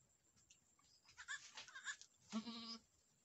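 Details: Boer goat on a Nepali farm after a first-time doe's successful kidding, a male kid born: soft rustling, then one short, clear, nasal bleat near the end, steady and slightly wavering.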